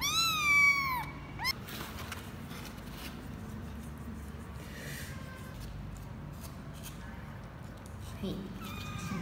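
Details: Twenty-four-day-old kitten of Laki, a former stray mother cat in Cambodia, during its first weigh-in on 24 January 2020: one loud, high, wavering meow opens, then quiet room noise, and a fainter meow returns near the end.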